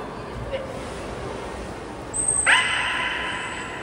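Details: Captive belugas during a training session with the whole group at Port of Nagoya Public Aquarium, Japan, 16 November 2024. A high, thin whistle comes first, then a loud harmonic, buzzy call. Crowd murmur runs underneath.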